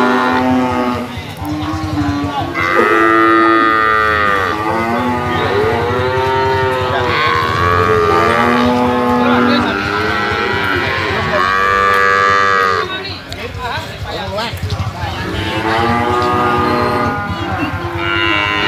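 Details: Jumbo sacrificial cattle over 500 kg, held in a pen for weighing, low in a string of loud, arching harmonic moos, roughly six calls, some overlapping, against a constant noisy background.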